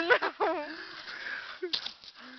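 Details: Diesel, a dog playing with its friend Krickan while they chew on a tree, yodels in short wavering, harmonic whines that rise and fall, followed by a brief sharper cry and a low steady tone near the end.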